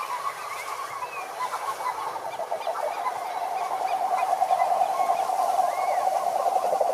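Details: Frogs singing together in a pond: a quick, regular pulsed trill swells and grows louder through the second half, over a background of other croaking frogs and scattered chirps.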